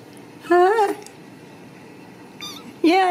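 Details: Ragdoll kitten raised indoors in a home cattery in central Kansas, meowing while its owner talks to it: two loud, clear meows with a rising-then-falling bend, about two seconds apart, with a woman's voice speaking nearby.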